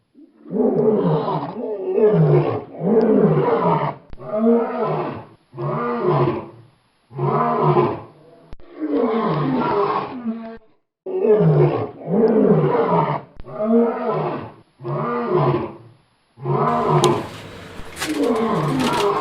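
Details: Lion roaring in a steady series of short, hoarse grunting bursts, about one every second or so, each with a falling tone, some bursts longer than others, a brief scratchy noise near the end.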